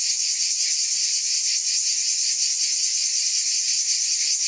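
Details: Loud, high-pitched cicada buzzing fills the whole stretch, a seamless sizzling hum with faint wavering pulses and no breaks or background sounds.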